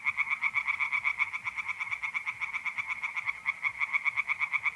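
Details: Night chorus in April from a north-east Italian pond: tree frogs croak in a quick, unbroken pulse train, layered over the constant trilling of mole crickets.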